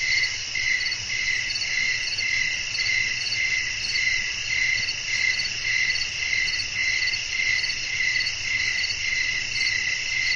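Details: Night sounds of crickets with wind, a sustained piercing trill pulsing steadily around twice each second for the full stretch, accompanied by a quiet low rumble.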